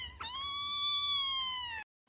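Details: A cat lets out a single long, clear meow lasting nearly two seconds. It is bright and high, holding a level pitch before falling slightly at the end, and opens with a brief click.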